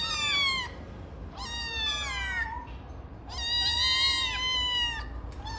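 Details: Cute Ragdoll kittens giving a run of clear, high, tonal meows, several overlapping and slightly falling at the end, one long wavering cry in the middle, against low background hum.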